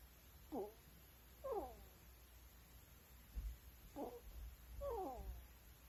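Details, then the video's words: Sleeping ferrets snore at night in a home; four thin, squeaky breaths, each a short downward-gliding whistle, fall in two pairs with a soft thump between them, backed by a steady high-pitched hum. "Ferret Snoring"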